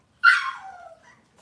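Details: Cavalier King Charles Spaniel puppy indoors on a kitchen camera on a cloudy Monday morning, giving a single sharp high yelp that slides steeply downward and fades out in under a second, with a quiet room behind it.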